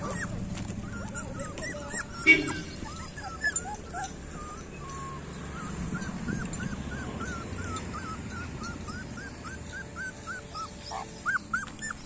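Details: Street dog puppies whimper and squeal in a rapid series of short, high, arched cries, several pups overlapping, with a faint steady background hum.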